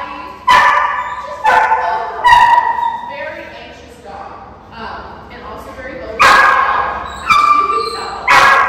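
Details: An 8-month-old German Shepherd/Belgian Malinois mix puppy, described as high drive, during a two-week board-and-train programme; a series of sharp, loud barks roughly once a second, with pauses between bursts and some human speech in the background.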